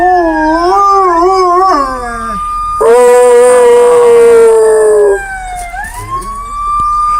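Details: Dogs imitating sirens with howls; a wavering howl that falls away, then a loud steady sustained howl for about two seconds, followed by a softer rising tone.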